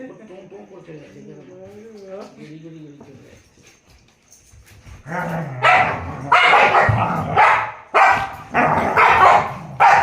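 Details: Puppies playing with a rope: after a person's soft voice, a run of short, loud, sharp barks and yips bursts out in uneven clusters through the second half.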